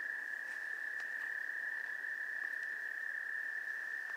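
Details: Breeding chorus of wood frogs at Gillette Castle State Park's Goldfish Pond, 11 April 2021, with rapid, irregular clucks layered over a constant shrill background hum of calling frogs.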